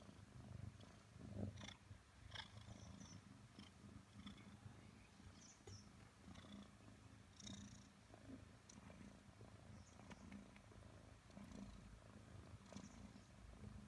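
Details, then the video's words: Nelson, a five-month-old Maine Coon kitten, purring during cuddle time with his owner; a steady low rumble with pulsing rhythm, joined by a few faint higher squeaks and soft rustling. "Nelson The Maine Coon - Cuddles time with mom"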